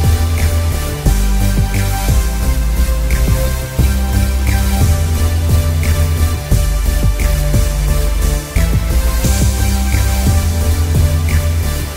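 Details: Steady electronic music with a deep pulsing bass line and regular beats, with no animal sounds.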